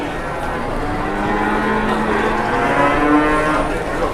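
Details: Very large cattle in Indonesia: a drawn-out, low moo with a steady harmonic tone, heard over heavy broadband background noise.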